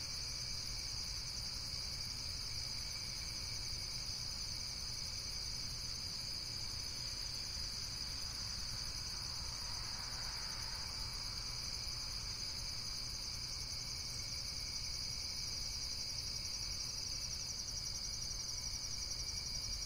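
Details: Dense, shrill insect chorus with a rapid pulsing texture, constant throughout, over a low background hum and a brief rush of mid-range noise around the middle.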